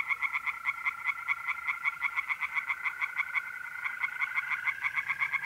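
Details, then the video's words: Singing tree frogs in a north-east Italian pond on an April night, fast pulsed croaks repeated steadily, accompanied throughout by a continuous, slowly rising trill of mole crickets. "relaxing singing tree frogs in pond"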